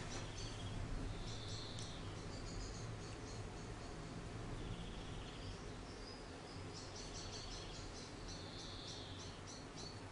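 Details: Hand-reared orphan grey squirrel kit named Charlie, roughly one week old and found cold and hungry in a garden, repeats high-pitched chirping squeaks in irregular bursts, some drawn out into brief thin whines, against low background rumble.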